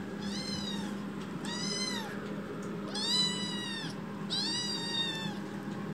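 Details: Foster kitten Chichi, a rescued baby cat, crying loudly after waking from a nap on a hand, walking back and forth indoors: four long, strained, harmonic meows, each rising then falling, spaced about one second apart, over a steady low hum.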